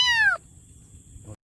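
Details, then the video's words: A kitten gives a single loud meow lasting about a third of a second, high and clear with a slightly falling pitch, then near silence, with a faint second meow starting at the end. "Kitten Meowing|Kitten Meowing Sound Effect|Kitten Meowing Loudly"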